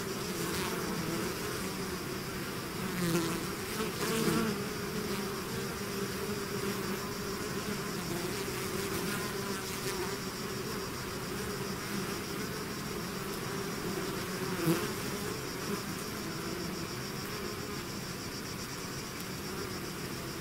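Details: Long stretch of a bee swarm emerging from its hive, an unbroken thick hum with low harmonic bands, occasional nearer buzzing swells, and a faint high steady whine running throughout.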